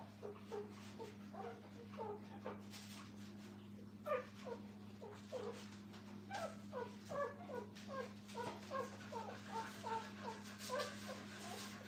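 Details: Puppies with their mother in a kennel, indoors: a run of short, thin squeaky whimpers, roughly one or two each second, uneven in spacing, over a steady low electrical hum.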